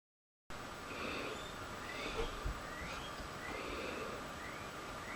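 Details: A female pet guinea pig squeals faintly in the background with thin, high, rising notes, repeated several times, reportedly starting trouble with the other female guinea pigs.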